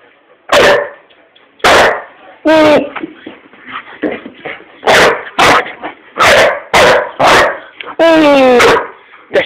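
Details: Old English Sheepdog named Hamish tearing around the living room indoors, barking excitedly: a string of sharp loud barks, some rising into whiny yelps, one long howling yelp near the end, while a person keeps telling him to be quiet.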